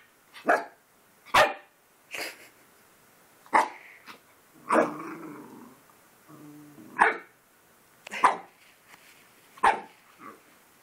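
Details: Puppy meeting his own reflection in the mirror for the first time, barking repeatedly indoors: short sharp yaps spaced irregularly over ten seconds, with a brief low growling stretch in the middle.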